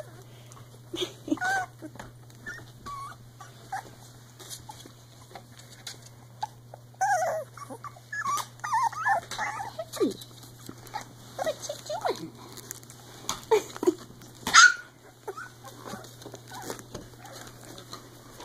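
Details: Three-week-old Icelandic Sheepdog puppies at play, giving high, squeaky, rising and falling whines and little growling yips in scattered bursts, with a steady low electrical hum throughout and a sharp knock near the end.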